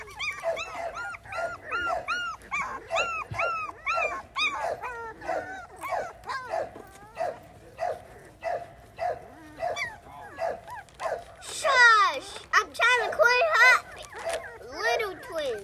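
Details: Several Podenco Andaluz puppies yelping in a steady series of arched, squealing cries roughly twice a second, growing louder and more tangled toward the end with shrill, wavering whines layered over one another.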